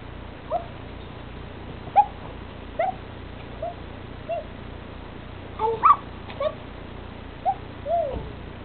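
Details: Dwarf German Spitz in a garden during play, fixated on its owner; short high whimpers and yelps come in scattered bursts, about ten over several seconds, some rising and falling, with quiet background.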